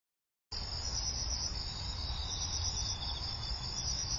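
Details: Insects singing beside a rice-field path on an autumn morning: after half a second of silence, a dense, steady, high shimmering trill runs without pause, over a low, constant rumble.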